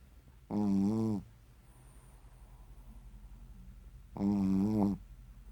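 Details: Sleeping Shih Tzu snoring indoors in a small room: two loud, buzzy, harmonic-rich snores roughly three and a half seconds apart, each lasting about half a second, with soft breathing and quiet room noise between them.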